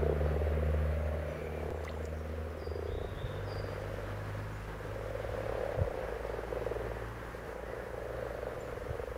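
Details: Common frogs croak in a continuous low, throbbing purr that swells and fades. Faint bird notes and a low rumbling drone sit in the background.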